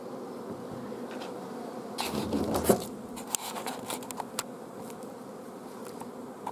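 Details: Bees of a honey bee colony filmed at an apiary on 14 June 2016, queen blocked from laying for lack of forage; a continuous low hum broken by a burst of tapping and clicking handling noises.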